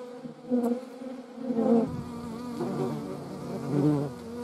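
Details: Hornet near wasps and honey bees in the Eifel: a wavering, continuous wing hum that repeatedly swells into louder buzzing surges, about every second, over a low background rumble.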